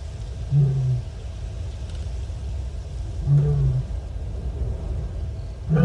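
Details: Lioness at Nkorho on 30 September 2021, moaning to reach other lions, captured by a live camera: three brief, deep moaning calls spaced roughly three seconds apart over constant low-pitched rumbling noise.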